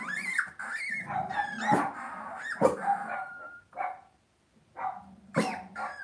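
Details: Cavalier King Charles Spaniel puppies raised indoors in a home puppy pen: overlapping high, wavering whines and short yips, several pups calling in quick succession with brief pauses.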